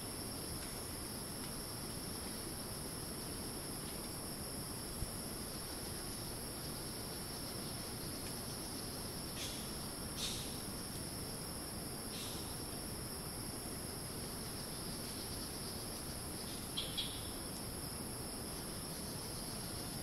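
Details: Rainforest cicada chorus in Ton Pariwat wildlife sanctuary, Phang-Nga, Thailand, a continuous shrill buzz holding level throughout, with a few brief chirps cutting in from other creatures and a constant low hiss beneath.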